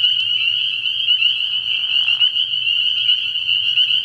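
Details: Early-year night at a frog pond alive with spring peepers: shrill overlapping peeps form an unbroken high chorus, joined for about a second by a lower scratchy rasp near two seconds, with a gentle low hum below.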